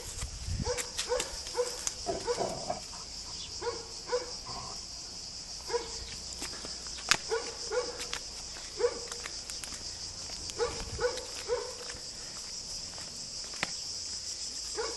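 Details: Weimaraner dogs, three-month-old puppies with their father and other adults, out on a walk on a sunny day; short, mid-pitched barks and yips come in loose bursts over a steady high insect-like hiss, with scattered clicks and footsteps.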